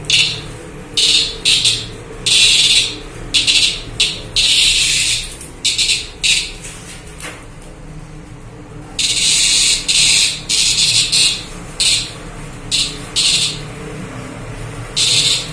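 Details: A young cicada, handled and then released to fly off, gives loud, harsh buzzing bursts in an uneven series, each under a second.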